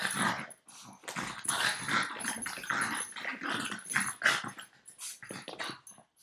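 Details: Nine-year-old Boston Terrier playing and refusing to let go of its owner's foot, giving a steady run of rough, snuffling growls and grunts in quick bursts, several per second, with almost no pauses.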